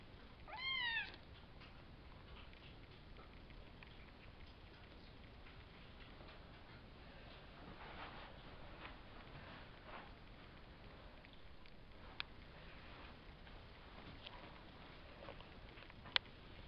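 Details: Savannah kitten, one of a five-kitten litter (three males, two females) by Kendi out of Gargoyle, born April 22 and filmed May 30: a single clear arched meow near the start, followed by long quiet with faint rustles and clicks.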